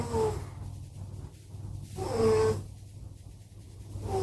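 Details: Two sleeping pet cats, Simba and Prissy, snoring very loudly: slow wheezy breaths swelling and fading about every two seconds, with a thin whistled tone riding on each inhalation.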